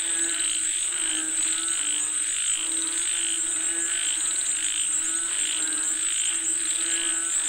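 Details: A chorus of frogs calling for rain: rhythmic trilling croaks pulse roughly every second beneath a constant shrill high-pitched drone.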